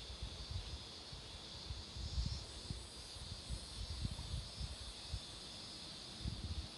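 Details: Roadside cicada chorus near flowering marigolds: an unbroken high-pitched buzzing hiss carries the whole stretch over faint low thumps and rustles.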